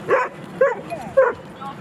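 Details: Playing dogs at Jeskyns Park: three sharp, high yips about half a second apart, each brief and bright, with a softer whimpering note between them.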